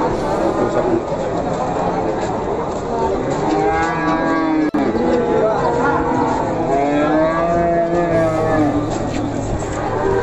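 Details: Simmental cattle at the Pasar Pon cattle market in Ambarawa, lowing in a drawn-out, wavering moo in the middle of the recording, partly buried under steady market crowd chatter and background bustle.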